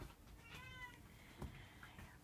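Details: Munchkin cat meeting a Shiba Inu dog indoors lets out a short, tonal meow near the start, followed by a muffled thump and soft room noise.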